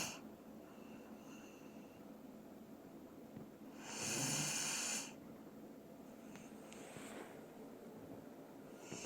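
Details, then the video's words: Sleeping Dobermann called Doran gives a single drawn-out, raspy snore of about a second, with a faint low rumble under the hiss, otherwise a quiet room. "도베르만 코골이"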